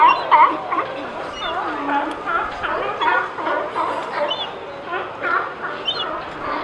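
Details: Sea lions hauled out at Pier 39, barking and sneezing: a dense overlapping chorus of hoarse, honking barks from many animals, rising and falling in rough bursts with no steady rhythm.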